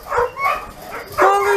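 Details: Homeless dogs at a shelter housing around 2,000 animals: a few scattered, uneven barks, the last one sliding into a drawn-out, whining tone over a low background hum.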